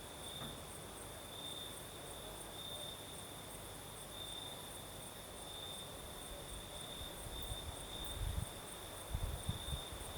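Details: At night in southern Crimea, crickets keep up a steady high trill with a fainter higher chorus, while the night breeze swells into low gusty rumbles toward the end.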